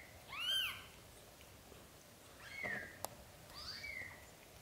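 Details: Newborn British Shorthair kittens as the mother cat relocates them to a small nest. Three separate high, arched mews, the first loudest, with quiet background hiss and one brief knock between them.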